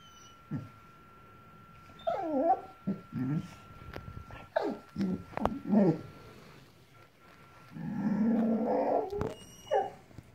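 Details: Five-month-old female Boxador puppy reacting to a new pink pig toy: scattered whiny growls and yips in irregular bursts, ending in a longer rough growling stretch, with a steady faint squeaky tone in the background.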